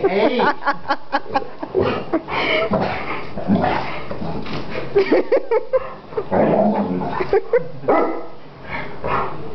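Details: Greater Swiss Mountain Dog attacking, giving rapid bursts of sharp barks in quick succession, some clipped and others drawn out into harsher rasping barks, with dense overlapping bark sounds throughout.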